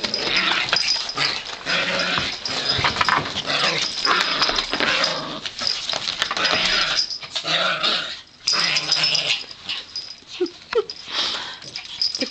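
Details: Pet Yorkshire Terriers, female, wrestle in play. A continuous stretch of raspy, snarling play growls and breathy scuffles runs almost without pause, rising and falling in loudness, with only brief quiet gaps.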